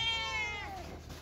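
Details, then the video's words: A single kitten meow, high and harmonic-rich, starting strong and sliding slowly downward before fading, over a faint background hiss. "Very Funny Cats and Kittens Meowing Sound Effects Part 7 | Cat Sound | Cats Meowing"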